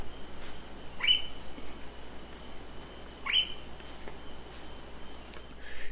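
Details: A kinkajou, a nocturnal, arboreal rainforest mammal, gives two shrill, rising squeals a couple of seconds apart over a steady night-insect hum at night near a lodge in Bellavista cloud forest, Ecuador, where bananas are hung out for it.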